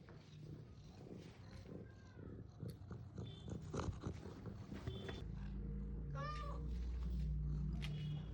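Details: Surjo, a pet orange cat at home, calls while waiting to be given food from a bag; a short harmonic meow rises and falls near the end, over rustling, handling knocks and a low indoor hum.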